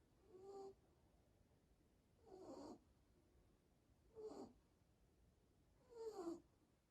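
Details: Shih Tzu dog snoring: four breathy, wheezing snores, each about half a second, roughly every two seconds, in a quiet setting.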